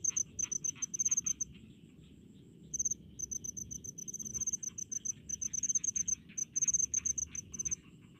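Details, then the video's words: Crickets in rice fields, offered as relaxing sound: high, pulsed chirps in short rapid bursts, separated by brief pauses, with a softer layer of other insects and a low background hum. "SUARA JANGKRIK DI PESAWAHAN"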